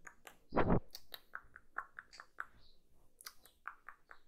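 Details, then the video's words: Close-miked kitten at its food: one loud crunching bite, then a string of small wet clicks and lip smacks at irregular intervals, indoors and otherwise quiet. "GATINHO COMENDO (eating sounds)"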